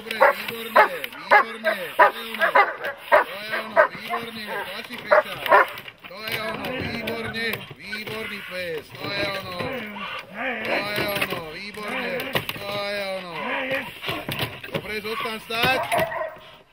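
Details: Dog barking during protection training, a rapid run of harsh, repeated barks, some in quick bursts, others spaced about two seconds apart, with people talking throughout.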